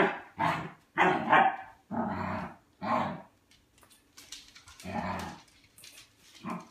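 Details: Dog Albert demanding food at his bowl, with rougher, lower barks mixed with growl-like grumbles, roughly one per second, quieter and with faint background hiss.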